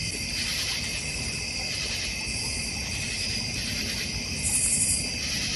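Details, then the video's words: Crickets in a North Georgia Mountains backyard with a koi and goldfish pond, fire pit and bird feeder: steady layered high trilling chorus, unbroken throughout, with a brief brighter shimmer near the end. "North Georgia Mountain Cricket Sounds"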